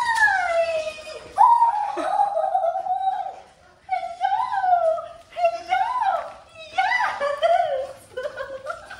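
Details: Daisy, a German Shorthaired Pointer, greets her owners at a reunion with long, high, wavering whines and howl-like cries that rise and bend, broken by short pauses, while people talk and laugh excitedly around her.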